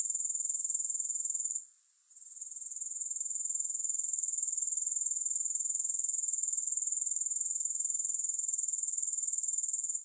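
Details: Grasshoppers give a high, hissing trill made of rapid, regular pulses. It drops away for about a second early on, then slowly builds back to a steady, unbroken drone.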